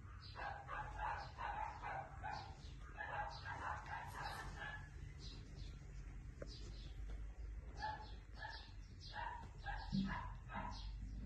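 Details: Border Collie barking in quick runs of sharp, repeated barks broken by short pauses, over a steady low rumble of background noise.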